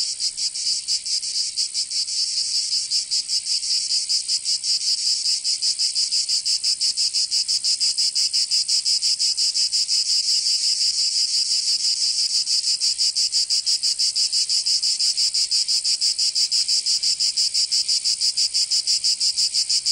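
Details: A long stretch of cicada song from a summer day in Provence, southern France: an unbroken, intense high buzz with fine rapid pulsing, constant in loudness over twenty seconds.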